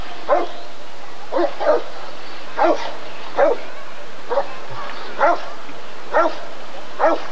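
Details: Rottweiler at the 1994 ADRK Körung breed survey, giving a steady series of deep, punchy barks, about eight in seven seconds, each spaced roughly a second apart over a low background hum.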